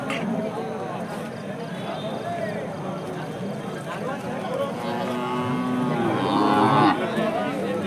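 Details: Hallikar cattle gathered at a busy temple cattle market; a tonal moo swells past the middle and fades, set against a constant hubbub of people talking and calling out prices.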